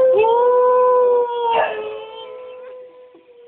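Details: Little Cocker Spaniel "singing" because she misses her owner, who is away: one long, smooth, level howl that swells briefly in the middle, then fades away slowly.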